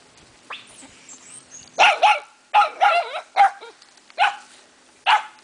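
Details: Puppies, mini Aussies and Aussie doodles born in spring 2009, give a burst of sharp, high yips and short barks, about seven in five seconds at uneven spacing, over a faint steady low hum.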